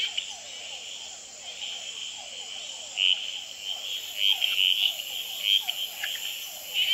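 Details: Male red-eyed treefrogs calling, tremulating and fighting on a potted plant at the Experimental Pond in Gamboa, filmed under infrared; several short, loud clicking chacks in the second half over a steady chorus of hourglass treefrogs and other frogs.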